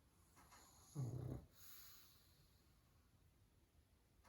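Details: Pug asleep indoors after a busy day, one short, low, throaty snore followed by quiet breathing in a small room.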